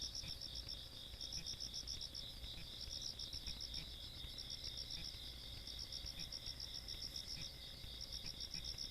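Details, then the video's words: Insects on a countryside night in Korea, 17 August 2022: several callers giving fast pulsed chirps and a continuous high trill, plus a thin steady whistle-like tone and low hum. "시골밤 벌레소리"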